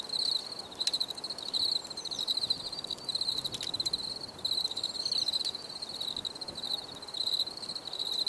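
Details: Crickets chirp in a steady high trill, pulsing in short even bursts, a little softer here, with a couple of sharp clicks cutting through.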